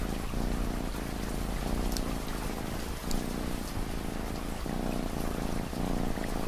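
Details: Purring cat paired with ambient rain for sleep and study, its low vibrating rumble pulsing in slow breath cycles every second or so, with raindrops pattering and hissing on top.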